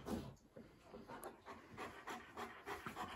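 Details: East European Shepherd puppy Eric, a young male visiting a house and at ease there, pants quietly in quick, slightly uneven breathy bursts, roughly three per second, with soft rubbing noises indoors.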